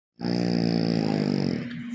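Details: French bulldog snoring: one long, rough, droning breath with a dense buzzy low tone, held steady for about one and a half seconds before tailing off.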